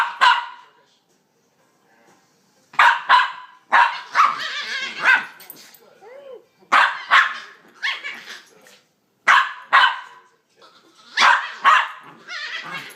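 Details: Two pet pups play fighting, making odd monkey-like sounds: bursts of high yelping, squealing growls and short barks in clusters separated by brief pauses.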